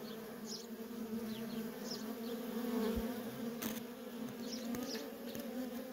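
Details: Busy entrance of a feral honey bee colony, worker bees streaming in and out; steady humming chorus with rising and falling whirs of nearby fliers and a short sharp click partway through.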